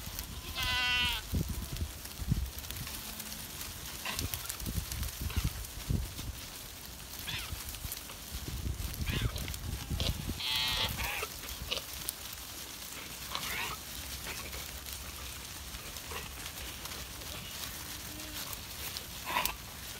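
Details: Goats moving about on a gloomy day: four wavering, harmonic bleats come at roughly 1, 10, 13 and 19 seconds, spaced by long gaps filled with rustling, thumping and low handling noise.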